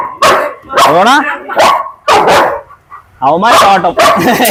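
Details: German Shepherd, called a biting dog, gives loud harsh barks in a rough series of about five bursts over four seconds, with people speaking Malayalam close by.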